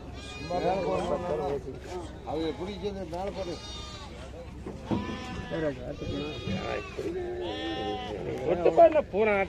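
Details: Goats at the Morpalayam Friday market, Namakkal, call in a busy chorus of shaky, wavering bleats, some rising and held. Voices and general market bustle run underneath.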